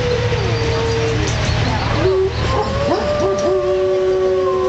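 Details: Wolves held at Como Zoo in Minnesota howl in chorus: a steady held tone breaks into wavering, sliding voices, then two long level howls continue together over a low background hum.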